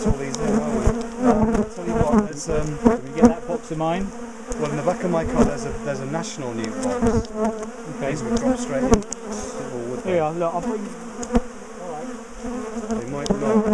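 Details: A big, aggressive honeybee colony being split and moved from a top bar hive; loud, unbroken swarming hum with rapid, wavering buzzes of many bees darting close by throughout.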